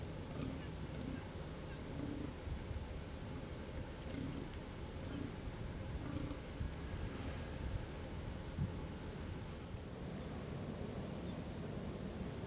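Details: A fallow deer buck gives deep, belching groans in quick succession during the October autumn rut, when bucks groan and fight to win as many females as possible; two bucks are also seen fighting.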